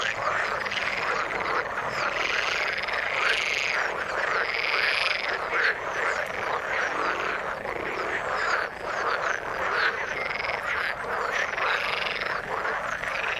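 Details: Continuous chorus of many frogs in the water, layered rattling croaks and higher pulsed trills overlapping throughout, with brief dips and swells in loudness.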